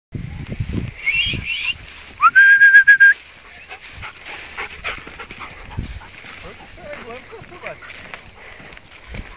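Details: Puppy letting out a brief burst of high, thin whines, one rising into a steady tone for about a second, with people talking around it before and after.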